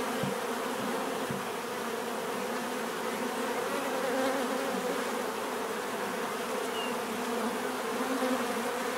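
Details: A constant, dense buzzing of many bees. Layered low drones hold steady with slight swells in loudness, over a broad background hiss.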